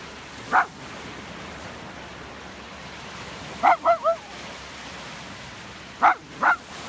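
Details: Playful miniature dachshund giving short, sharp yipping barks in three bursts: a single yip, then a quick run of three, then two more spaced apart, over a soft steady hiss.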